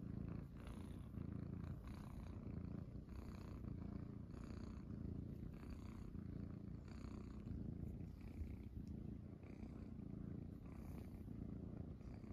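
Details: Munchkin kittens purring while lying on their owner's belly in the morning; a steady low rumbling purr runs throughout, pulsing in slow breathing cycles about once a second, with faint soft rustling above.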